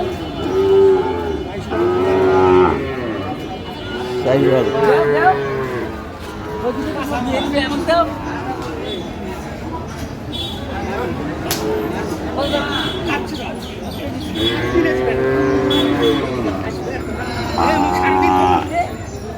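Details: Sahiwal bull calves at Ambari market, Cumilla, on 12 May 2025: several long, deep moos with arched harmonics spaced a few seconds apart, mixed with busy market chatter, buyers haggling over prices and brief music.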